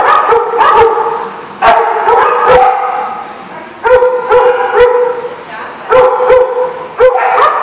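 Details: Dog barking at the Barking Lot on 4/10/14: bright, ringing barks come singly and in quick pairs roughly every one to two seconds, with a strong tonal core and short echoing tails.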